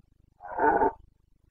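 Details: Single deep, rasping roar lasting over half a second from a Carpathian red deer stag during the September rut in the Bucovina mountains of Romania, recorded 29 September 2022, set against near silence.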